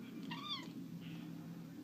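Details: Indoor Bengal cat playing, coaxed toward a laser pointer, gives one clear meow that rises then falls, followed by a soft, faint second sound. A steady low household hum lies underneath.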